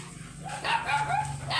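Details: Oversized Golden Retriever at a stud service in Laoac, Pangasinan, giving a run of short tonal whines, each a steady high note, four or five in quick succession over a low background hum.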